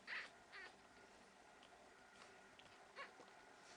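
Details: One-week-old Pekingese puppies in Tallinn, Estonia, giving a few short high squeaks, one near the start and two more spaced about half a second and three seconds in, over a steady background hiss.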